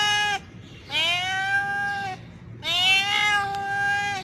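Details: Male domestic cat in heat calling a female, giving long drawn-out harmonic yowls over a second long, steady in pitch, repeated with short gaps between them.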